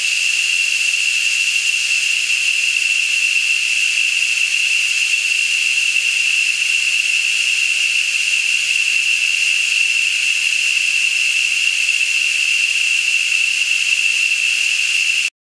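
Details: A huge insect chorus in Costa Rican rainforest near Matapalo, on the drive to Las Nubes, holds one shrill whining pitch over a bright, river-like hiss, never pausing.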